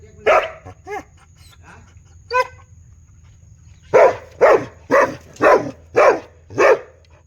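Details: Big dog barking loudly; a few whiny, yelping notes open, then six deep, evenly spaced barks follow about every half second, over a faint steady high hum.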